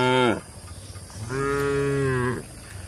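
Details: Tame cattle in a shed in rural Indonesia, the tail of one moo followed by a steady, level moo lasting about a second.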